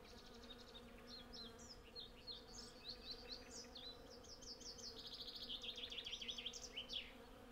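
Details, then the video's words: Honey bees in their hundreds gather honey at a flowering cherry tree, giving a steady, even drone. Busy high birdsong with fast repeated trills builds over the drone toward the end. "Honey Bee Sound Library"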